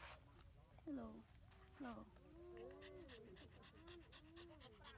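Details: Female pet husky outdoors in strong wind before rain, said to feel good in the windy weather; two sharp falling yelps near one and two seconds, then long wavering, arching whine-like sounds over steady wind noise.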